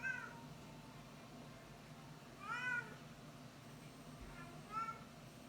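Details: Yowling from a female Bengal cat during estrus: three separate harmonic cries, each rising then falling, spaced roughly two seconds apart, with the middle one loudest and longest, against a low steady hum.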